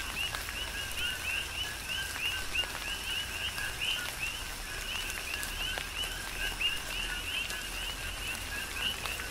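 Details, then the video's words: Chorus of coqui frogs during a tropical rain shower on the Big Island of Hawaii: many overlapping two-note rising chirps, a lower note then a higher one, repeating steadily, with raindrop ticks and a soft rain hiss beneath. "Tropical Rain & Coqui"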